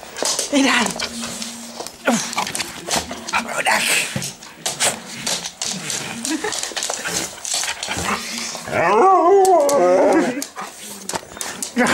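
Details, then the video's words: Excited huskies welcoming their owner home after a week's absence; steady whines early, then a loud, wavering, yodelling howl near the end, with clicks, scuffling and a person talking in Dutch. "Husky greetings after being away for a week"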